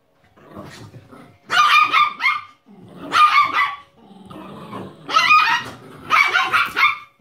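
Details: Italian Greyhound puppy visiting a miniature pinscher and chihuahua mix, the two dogs having just woken beside each other; four bursts of rough, growly yapping barks about a second apart, with softer grumbles between.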